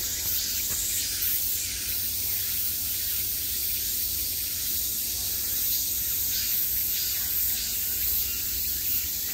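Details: Continuous cicada buzzing in summer, a bright, hissing wall of sound that stays even in loudness and gently throbs over nine seconds, with a quiet low hum beneath.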